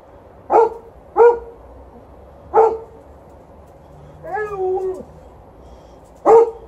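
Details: An Alaskan Malamute and a Golden Retriever give sharp, spaced barks and one brief wavering howl, asking to go for a walk.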